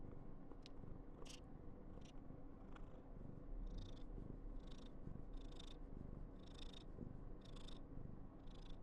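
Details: An affectionate female Somali cat named Karen, born 19 November 2021, purring indoors. The deep rhythmic rumble is steady, joined from midway by regular hissy rustling bursts roughly every second.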